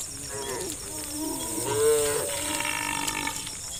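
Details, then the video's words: Cows driven toward a farm pen across pasture; a couple of overlapping moderate moos, one gliding down in pitch, partly blurred by a steady hiss. "Funny Cow Sounds"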